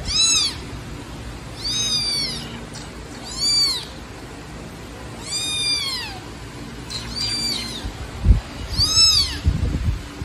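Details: Abandoned baby black kitten left in a street trash box calls loudly, a run of about seven shrill, bent meows, some doubled, separated by brief gaps; a thump and faint handling noise near the end.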